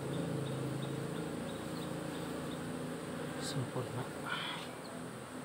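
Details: Honey bee colony kept in a hive box under modern beekeeping, monitored for health by a smart apiculture device; steady low droning hum with layered tones, a brief sharp click and a short hiss near the end.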